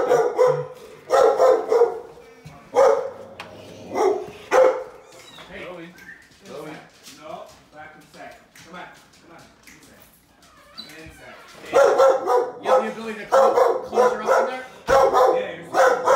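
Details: Chloe, a female Belgian Malinois known for unpredictable aggression, at a training session in Northern New Jersey: bursts of loud, harsh barking open and close the stretch, with quieter talking and shuffling between them.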